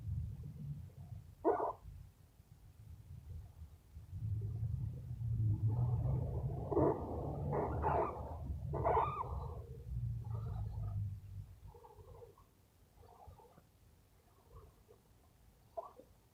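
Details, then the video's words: Sleepy rescue squirrel, male, making funny sounds while being petted; scattered short squeaky and grunting bursts, some clustered together and others spaced apart, over a steady low rumbling of handling noise. "Sleepy Squirrel Talking Makes Funny Sounds"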